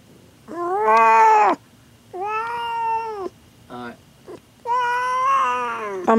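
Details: Queen cat giving birth to her first litter, indoors, refusing to leave the room: three long, strained yowls about two seconds apart, each steady and harmonic-rich, with a short choppy sound between the second and third.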